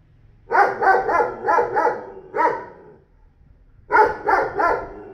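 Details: Newly acquired 40 kg neighbourhood dog barking: a run of five rapid barks, one more after a short gap, then a final burst of three after a second of silence.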